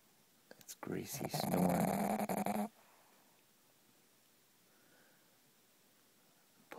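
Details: Pug asleep and snoring: one rasping, buzzy snore lasting about two seconds with a low droning tone, followed by quiet breathing-room silence.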